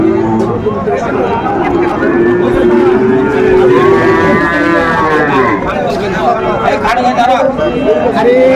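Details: A Sahiwal bull calf lows at a busy Mymensingh cattle market, 20 December 2024: a sustained, slightly rising moo in the middle stretches, surrounded by loud haggling speech and market hubbub.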